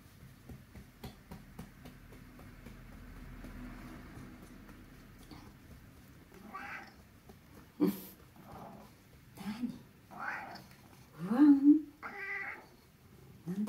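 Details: Middle-aged rescued house cat grumbling while being massaged: several seconds of near quiet, then a series of short, nasal murmured mews and chirps spaced a second or two apart, with a woman talking softly.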